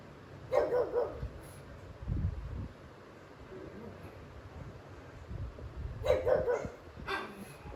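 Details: Jealous pet pug reacting angrily to pugs and other dogs on TV; two clusters of gruff, slightly growly barks about five seconds apart, separated by quiet room noise and faint low thumps.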